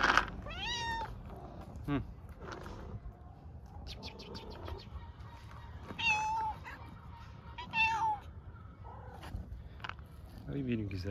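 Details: Hungry homeless stray cats in Istanbul meowing loudly for food and attention: several high, harmonic meows with falling and rising glides around 1 second apart, a long steady tone midway, a woman speaking softly in Turkish between calls.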